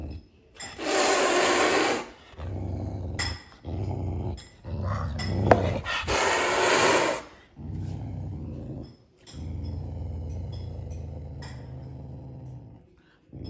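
A caracal gives harsh, breathy hisses alternating with low, rumbling growls.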